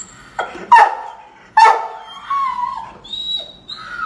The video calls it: Rhodesian Ridgeback Barking. How To Make Your Dog Bark